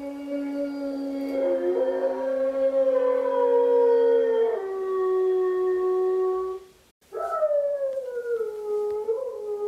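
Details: An Italian Greyhound howls in long, drawn-out, wavering tones, answering a gray wolf howl played by a Google Home device.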